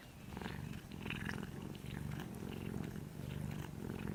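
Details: Orange kitten-sized cat purring while sleeping, a low continuous buzzing rumble that rises in loudness after the first second and holds steady, with light scattered clicks.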